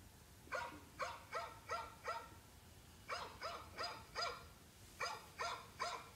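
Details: Dog barking in rapid clusters of three to four sharp barks, each cluster followed by a short pause, low background rumble beneath.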